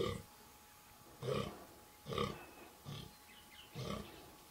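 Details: Rutting fallow buck, 2014, pointy antlers with little palmation and good guard tines; five deep hoarse grunting groans spaced about a second apart, each short and throaty.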